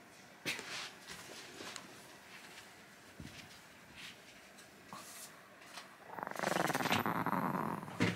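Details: Kohaku, a Chihuahua, angry yet half-hearted in his anger; after quiet taps and rustles, a low, buzzy, pulsing growl rumbles steadily for about two seconds near the end.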